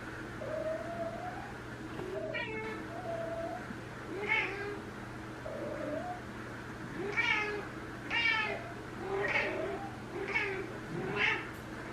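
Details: Elsa, a year-and-a-half-old female Ragdoll cat on day three of her first heat, calls sweetly toward a neutered male boss cat in a multi-cat home: a low drawn-out murmur, then bright, harmonic meows roughly every second or two.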